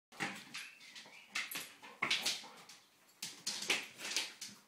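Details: A Labrador Retriever chasing a laser pen light around a kitchen gives short, bright barks and whimpering yips in quick, uneven bursts, with a little scuffling in the background.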